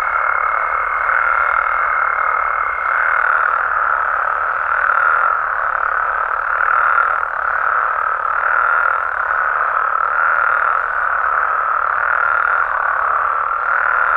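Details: Mexican frogs and toads calling after dark: a dense, unbroken chorus of overlapping croaks with gentle rhythmic swells roughly every second and a half, plus a faint high steady tone at the start.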